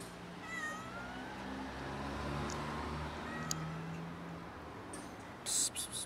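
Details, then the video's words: A black cat meowing to ask for food: a few thin, faint meows that rise and then fall, spread through the first half and again mid-clip, over a steady low hum, with clicks and a brief clatter at the end. "Black cat meows for food"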